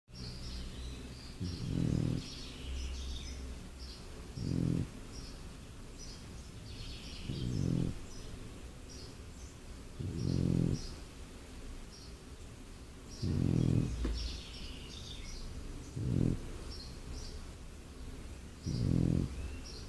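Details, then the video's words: A sleeping French Bulldog snores in deep, rumbling bursts, one roughly every three seconds. "French Bulldog sleeping and snoring"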